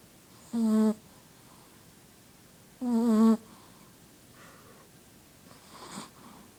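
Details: Sleeping Shih Tzu named Bella snores indoors: two drawn-out, droning nasal breaths a little over two seconds apart, then softer breathing noises trailing off.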